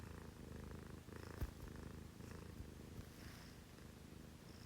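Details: Continuous low purr from a pet cat at six in the morning, one of two female housecats, a Scottish Fold and a Munchkin; a close, even throbbing drone with a small knock and faint rustles.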